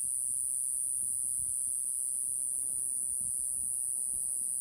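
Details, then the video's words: A tiny Iwasaki grass cicada, about 1.5 cm, perched on a finger in Okinawa in early summer, gives a steady, very high-pitched continuous buzz that barely varies. "ゆびで鳴くセミ イワサキクサゼミ Mogannia minuta セミの鳴き声 沖縄の蝉 Cicada insect"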